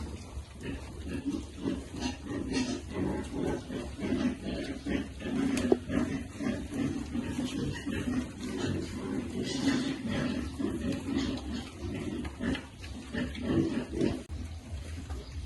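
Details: Piglets at feeding time, with a continuous stream of low, throaty grunting and chewing noises, broken by brief sharper clicks and some distant voices.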